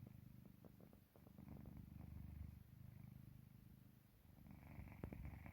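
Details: Sleeping domestic cat Park Haru producing a low, vibrating purr that rises and falls with slow breathing, a soft rattly texture, and a faint click near the end, indoors and otherwise quiet.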